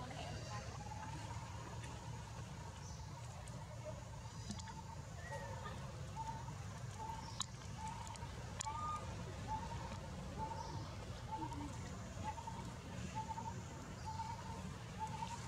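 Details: Baby monkey Leo, scared after falling into water without its mother, gives a long series of short, high whimpering cries, roughly two per second. A steady low engine hum runs underneath, with occasional speech.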